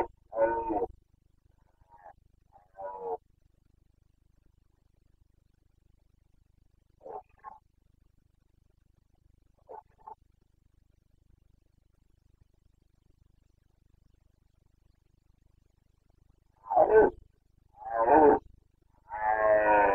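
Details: Carpathian stag roaring in the Bucovina mountains of Romania during the late-September 2022 rut. Scattered short, faint grunting bellows build to three loud, rough roars in close succession near the end.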